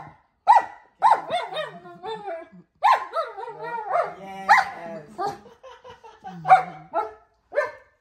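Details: German Shepherd complaining while being taught to roll in a small space: a string of short, bark-like grumbles with harmonics, sliding up and down in quick bursts separated by brief pauses, with faint human speech.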